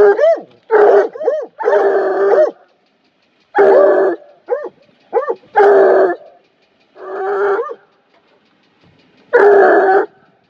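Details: A Bluetick Coonhound bays at a bobcat in loud, drawn-out bawls broken by short rising yelps.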